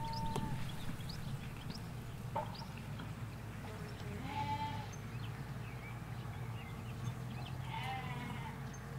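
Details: Sheep, ewes with their lambs, grazing a Hampshire countryside field, captured on stereo microphones halfway along a hedge away from a road. Two moderate bleats spaced several seconds apart over a steady low hum and scattered bird chirps.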